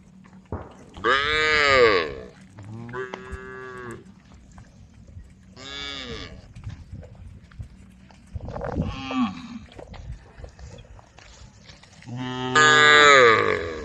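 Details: Herd of cows out on the road calling to one another: several rich, drawn-out moos of varying length and pitch, some rising then falling, spread across the recording with brief quiet gaps and low rumbling background noise.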